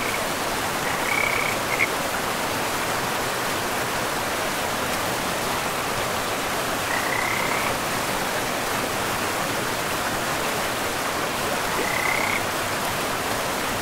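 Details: Forest river scene with frogs: three separate short, slightly rising chirps spaced several seconds apart, over the continuous broad roar of flowing water.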